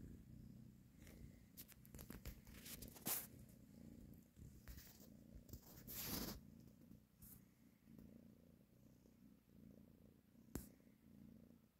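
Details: Domestic cat mother purring while nursing and caressing her kittens; low steady rumbling purr throughout, with scattered rustling and brief clicks over it.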